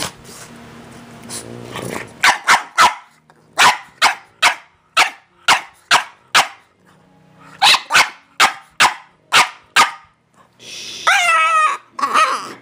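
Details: French Bulldog at home in a playful attack, giving about sixteen short, sharp barks in quick bursts with brief pauses, then a wavering whine near the end; a person speaks faintly at the start.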